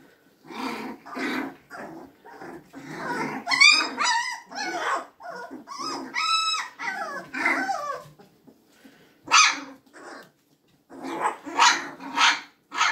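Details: Magyar Vizsla puppies recorded on 24 February 2021, giving a lively string of high, wavering whines and squeaky yelps in short bursts, some rising and falling sharply, separated by brief pauses.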